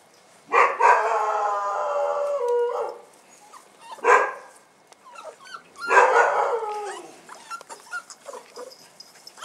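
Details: On their first outing, 18 January 2015, Bull Terrier puppies give high, drawn-out whines that bend downward, with short yelps between them.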